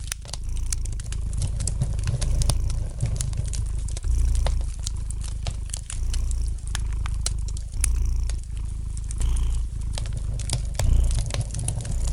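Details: Domestic cat purring gently beside a fireplace, a low continuous rumble in steady waves, swelling and easing every second or two, with sharp crackles and pops of burning wood scattered throughout.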